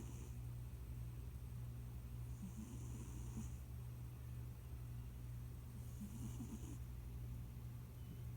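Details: Leon, a round pet cat recently added to the family and nicknamed Debunyan, asleep and snoring faintly: two muffled, crackling breaths about three and a half seconds apart, half buried under a steady low hum.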